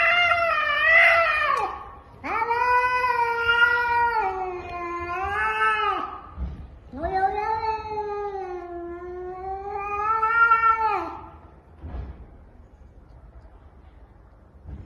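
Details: Domestic cat caterwauling indoors: three long, wavering, moaning yowls, each a few seconds, rising then sagging in pitch, followed by quieter fading sounds.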